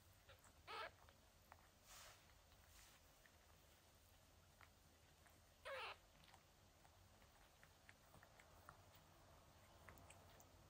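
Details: Mother cat washing and hugging her newborn kittens: two brief, bright cries, one near the start and one midway, rise out of a quiet background with faint rustling between them.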